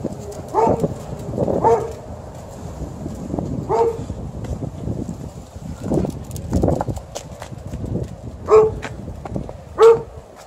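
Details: Alaskan Malamute playing a tug-of-war game, giving short tonal grumbling vocal bursts about five times across ten seconds, mixed with rustling, tugging thuds and scuffling noises.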